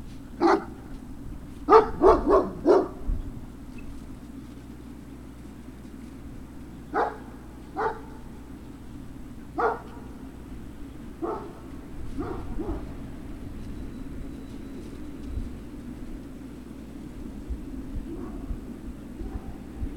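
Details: Great Dane puppies at Puppy Hill, recorded 03-06-2019 in the afternoon: a quick burst of four or five sharp barks near the start, then single barks every second or two, fading toward the end over a steady low hum.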